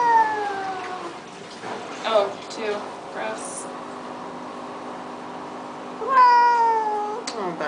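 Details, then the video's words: Baxter the cat, unhappy in a flea bath, lets out a falling meow at the start, then quieter sounds and water noise, before a loud, sustained, descending wail near the end. "Cat Cries While Getting Flea Bath"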